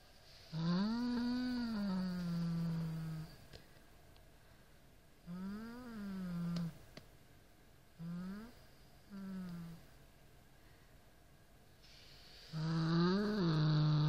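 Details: Norrington the Siamese cat growling at a rat toy: a long low yowl, then shorter arched growls and brief rising bursts with quiet gaps, ending in another loud drawn-out growl.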